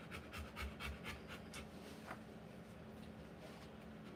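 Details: Rottweiler panting while giving birth to puppies indoors; a run of quick, breathy bursts about twice a second through the first half, then fading into steady low hum and quiet room noise.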